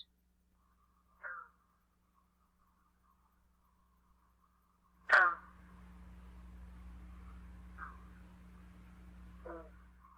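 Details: A green frog in Michigan in spring gives its vigorous, far-carrying call: short, twanging single notes like a plucked loose banjo string or large rubber band, over a low hum.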